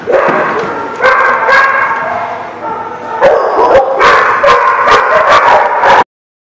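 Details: Dogs barking in a busy, overlapping chorus, short harsh barks repeated rapidly, several animals at once, with yips mixed in, ending abruptly.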